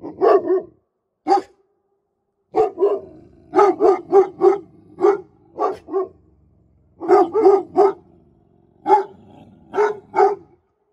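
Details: Presa Canario guard dogs bark steadily in clustered bursts of two to four deep, resonant barks, repeated throughout with only brief pauses.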